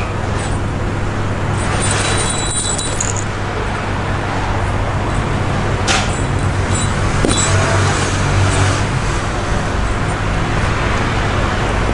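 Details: Steady low engine rumble and roadway traffic noise fill the recording, with brief higher clatters, and no animal call can be heard.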